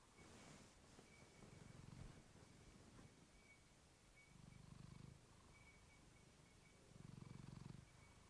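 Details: Pet cat, female, purring into a fluffy microphone: three low rumbling bursts spaced about two and a half seconds apart, each lasting under a second, separated by quieter purring, with a faint steady tone in the background.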